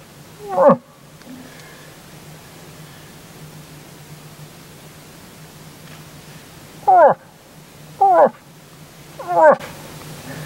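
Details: Moose during the rut, several animals including a big bull, calling back to a hunter's calls in the evening; four drawn-out wavering calls sliding downward, one alone, then three close together after a long pause, over a low steady hum.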